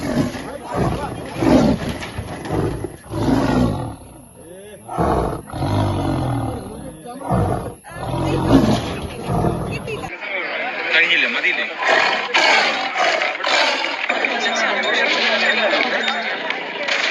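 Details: In Kerala, India, a caged tiger suffering from an eye disease gives threatening roars in a series of deep, rough, throaty bursts, each swelling and fading within a second or two. Human voices run underneath, and the sound thins as the roaring eases.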